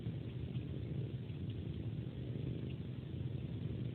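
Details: Cat purring at bedtime while suckling a human hand like a pacifier, a smooth unbroken low rumble holding steady for the whole stretch.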